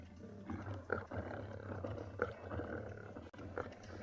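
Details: Morning in a South African private game reserve (Ngala or Phinda): the area's two dominant male lions give deep, rumbling bass roars over a steady hum, showing dominance and driving another male from a fresh buffalo carcass after buffalo distress calls.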